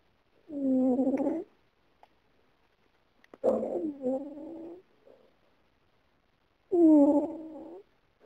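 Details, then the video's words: Sleeping female cat snoring as she dreams of running away: three drawn-out, moaning snores of about a second each, the middle one rough and wavering, separated by quiet pauses. "Cat running and snoring"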